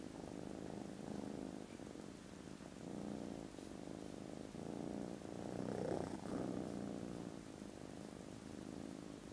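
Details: Foster kittens dozing contentedly after lunch on Friday 18 December, giving a very loud purr: continuous low pulsing rumble in rapid regular beats, swelling louder about two-thirds through, then settling back to an even drone.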